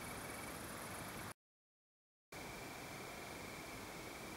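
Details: Male Italian tree crickets singing in Berlin on 3 September 2012, a soft, continuous high trill over steady background hiss.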